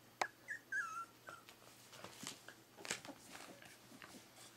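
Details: Three-week-old Berger des Pyrénées puppies whimpering indoors: a sharp yelp, then several thin, wavering, falling squeals in quick succession, followed by soft rustling and small clicks of movement.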